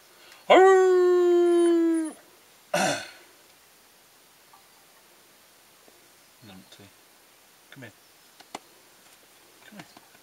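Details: One of three dogs, Ben, Ludo or Tina, gives a single rich howl lasting about a second and a half, followed by a short yelp and then near silence with soft knocks.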